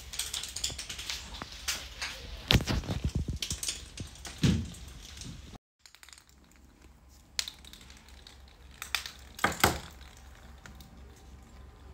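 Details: Rapid mechanical clicking and ratcheting, like gears or a typing keyboard, with a brief dropout of silence midway and louder rattling bursts near the end.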